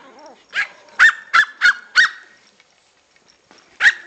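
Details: Two six-week-old Pomeranian puppies yipping as they want to play: a burst of five sharp, high yips over about a second and a half, a pause, then one more yip, with faint whining before them.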